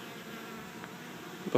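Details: Honey bee swarm of 6000-8000 bees lying on the ground in a yard in Chico, California, 2013, walking into an empty hive as it is captured; a steady low buzzing hum throughout, ending in a brief thump.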